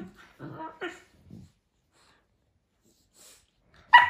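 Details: Cane Corso puppies sparring in their morning routine, giving a few short harmonic yips early on, then a sharp, loud, high yelp at the very end after a quiet stretch, in a small indoor space.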